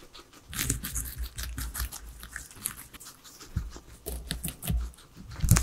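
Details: Pet guinea pigs, three of them, munch on veggies indoors; deep, thumping chews mix with sharp crisp crunches that come in clusters, loudest toward the end, and no voices or music are heard.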